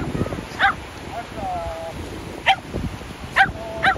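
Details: Shetland Sheepdog at the sea during ball play, letting out four separate high yipping barks with pauses between, and a faint whining tone in the middle, against breezy outdoor background noise.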